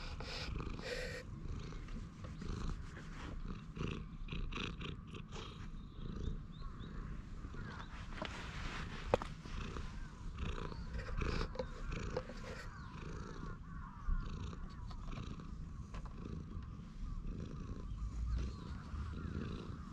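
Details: A stray cat resting on a bench gives a continuous low purr during petting, long and even, overlaid by rustling and occasional clicks from handling and movement.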